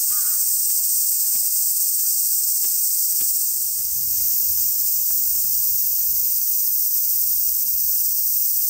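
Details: Summer cicadas at Oike Park in Tokai City, Japan, in strong sun, sing a continuous shrill buzzing wall of sound throughout. A short bird call opens the clip and soft low rumbles follow.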